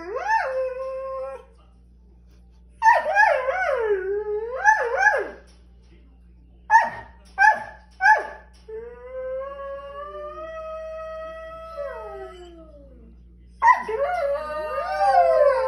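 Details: Borzoi dogs talking, giving long wavering howls and moaning yowls, some rising and falling in pitch, others held steady, separated by short silent gaps with a few brief yelps.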